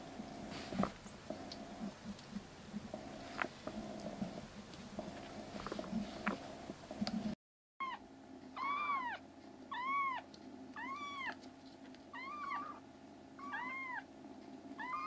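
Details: Rescued black kittens, three foster siblings recovering indoors and now crying loudly while roaming the room. A steady mechanical hum fills the first half, then about seven clear, arching meows follow at roughly one-second intervals, with the hum still faintly underneath.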